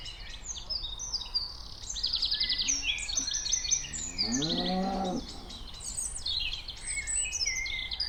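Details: Cows walking around outdoors; a single drawn-out, low, harmonic moo rises and falls for about a second midway, while many birds chirp and trill busily overhead throughout.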